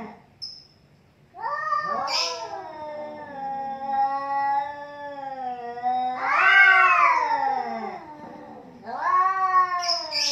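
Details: Two cats in a fight: a sustained low moaning yowl held for several seconds, then a louder rising-and-falling wail and another swelling howl at the end, faint higher voices on top.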